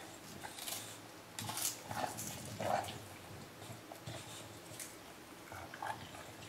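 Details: An English Bulldog eating an ice cream cone, a rare favourite treat, licks and smacks noisily with wet slurps and a few snuffling snorts.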